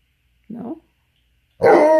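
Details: Tonka, a pet Alaskan Malamute, telling his owner what he wants: a short low grumble, a pause, then a loud, rich, harmonic woo-like howl that cuts off at the end. The owner's questions about belly rubs frame it.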